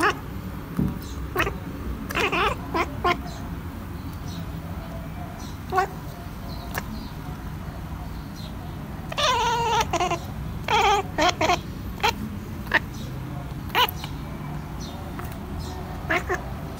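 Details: A fluffy pet cat chattering: scattered short, clipped clicking bursts, with a cluster of quick chirruping calls in the middle, over a low indoor hum.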